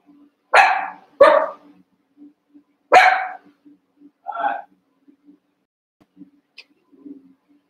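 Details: Young Cavalier King Charles Spaniel puppies at play in a pen, eight together: a quick pair of loud yappy barks, then a third after a gap and a softer, lower yelp, with a steady faint hum behind.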